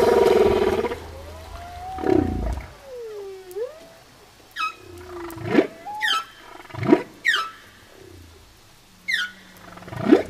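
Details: Humpback whale song from the album Songs of the Humpback Whale; a buzzy opening tone gives way to sliding, swooping whistles and cries, rising and falling, punctuated by sharp upward-sweeping whoops spaced roughly a second apart.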